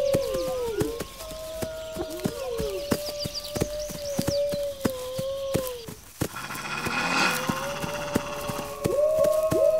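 Several wolves howl together in long, steady, overlapping notes that bend up and down at their ends.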